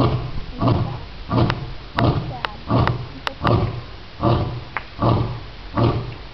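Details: A lion (Panthera leo) at the NC Zoo gives a steady series of deep, hoarse barking grunts, a little under one per second.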